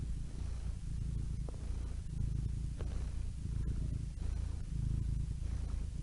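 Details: Domestic cat purring steadily: a continuous low rumble with a throbbing pulse, nearly all energy in the deep bass, a few faint clicks scattered on top and no other voices.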